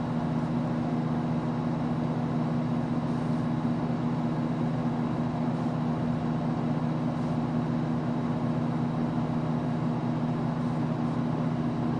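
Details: A steady low mechanical hum with a constant drone runs throughout, and no animal calls stand out.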